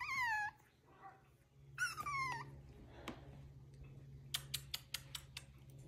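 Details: Five-week-old bottle-fed rescue puppies give two high, squealing whines that slide downward in pitch, a brief one then a longer one, followed by a quick run of sharp tapping clicks over a steady low indoor hum.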